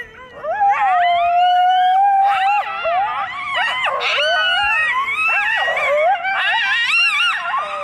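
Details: Two coyotes excited to see each other exchange a happy greeting of overlapping howls, yips and wavering squeals.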